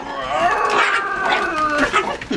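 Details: Teddy, a pet dog, reacting to a vacuum cleaner indoors, lets out a wavering, whining howl that slides up and down in pitch, with a person talking softly nearby.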